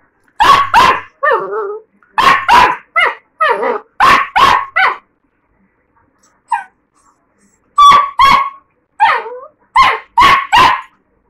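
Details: A 45-day-old Labrador puppy gives quick bursts of sharp, high yips and barks mixed with short whiny whimpers. It goes quiet for about two seconds mid-way, then resumes barking in rapid pairs.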